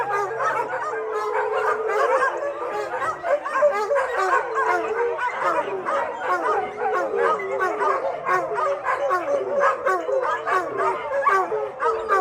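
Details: A shelter's 600 dogs howl collectively after a thunderstorm: sustained, undulating howls stacked on one another with constant barking and yipping, forming an unbroken, noisy chorus.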